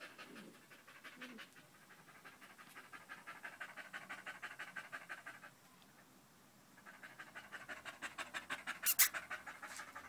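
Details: Loud, rapid panting from Danco, a dog clinging to a person's leg on 5 August 2013, runs about three breaths per second, pauses for roughly a second, then resumes with a bright click near the end.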